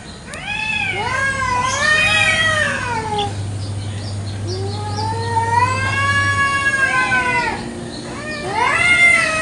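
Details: Village cats fighting over territory in a garden one morning; drawn-out wailing yowls rise and fall in overlapping waves, two voices trading long howls across nine seconds, with a low steady hum underneath through the middle.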